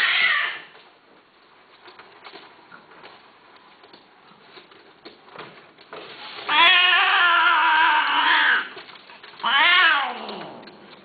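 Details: Persian (Himalayan) cats, a female and a male, mating: long, wavering, harmonic yowls in a drawn-out caterwaul.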